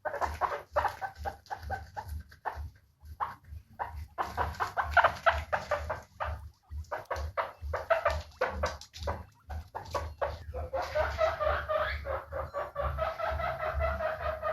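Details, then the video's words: Dense, fast chatter of squeaky calls from guinea pigs said to be happy, with short gaps, becoming a longer, smoother stretch of overlapping squeals in the last few seconds; low hum beneath. "Guinea Pig Sounds to Make your Guinea pig Happy"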